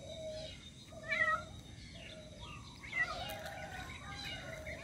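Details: Cat meowing for its missing kitten, giving a string of sustained, level meows about a second apart, with a couple of higher, bending cries in between against a low constant background noise.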